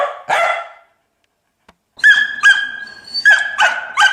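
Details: Dog giving two short, harsh barks, then a pause, then a run of five high, clear yipping cries, each a steady tone with a brief drop, spaced roughly half a second apart.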